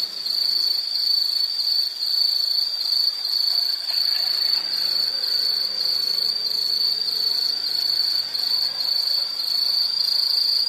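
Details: Insects, presented as a calming nature soundscape, sing a continuous high-pitched trilling chorus, steady and pulsing slightly, with no other clear sounds.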